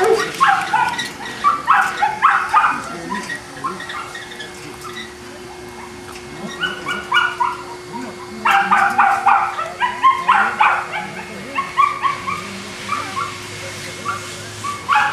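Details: Boston Terriers at Perrera Jamundí, Cali, Colombia: repeated groups of high, ringing yelps and barks separated by short lulls, the densest outbursts early and around the eighth to eleventh seconds, with a constant electrical hum underneath.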